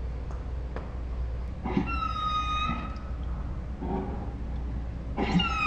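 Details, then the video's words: Saint Bernard Ours 'talking' in dinosaur-like tones: a clear high whine of about a second, a softer short murmur, then another whine starting at the end, against a fairly noisy indoor background with faint clicks. "My Saint Bernard makes dinosaur sounds"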